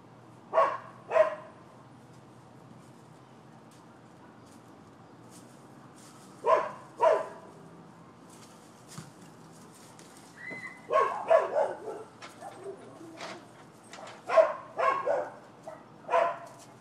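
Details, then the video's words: Neighbors' dogs barking as a nuisance in Florida on 12/7/15: sharp barks in quick pairs, then a busier run of overlapping barks near the end, with quiet pauses between bursts. "Barking Dogs"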